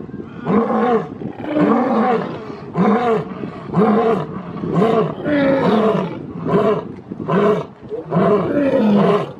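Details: Lion roaring to claim territory and call to its pride: a rapid train of short, deep grunting roars, about one per second, each a rounded swelling note, rough and forceful, continuing without pause.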